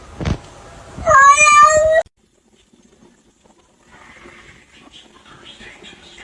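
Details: Pet cat giving one loud, sustained, slightly wavering meow lasting about a second, preceded by a thump and followed by quiet room noise and distant muffled voices.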